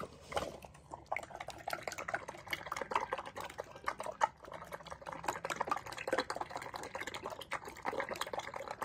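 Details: Rescue pig Paulie slurps cucumbers at an upstate New York sanctuary, producing rhythmic wet smacks, crunches and juicy sucking sounds, with a couple of sharper louder slurps along the way.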